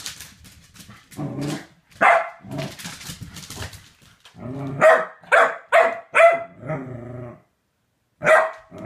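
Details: Chunk E. Sausage, a corgi with a femur bone, grumbles and growls low, then fires off a quick series of sharp barks, a short growl, and one last bark after silence.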